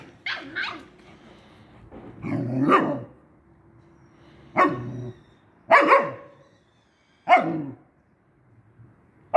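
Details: Dogs as a husky first meets a hunting dog puppy: a run of short, sharp barks spaced a second or two apart with quiet gaps between, one rougher, drawn-out bark in the middle, indoors with little other sound.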